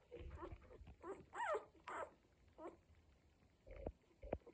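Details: One-week-old Cocker Spaniel puppies from a litter making noises: soft squeaky whines and whimpers rising and falling in short bursts, with a few low grunts and thumps between them.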